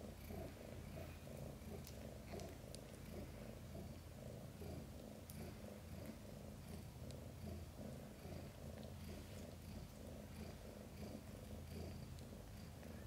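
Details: Mother cat Chan through a difficult birth of five kittens, all born safely; an even, deep, rhythmic purr throbs without pause from start to finish, with only faint ticking rustles above it.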